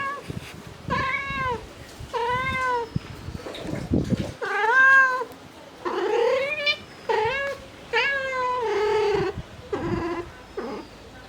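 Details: Domestic mother cat calling for her kittens with a rapid series of about ten long, wavering, plaintive meows, some rising and falling in pitch, separated by short pauses and soft rustling.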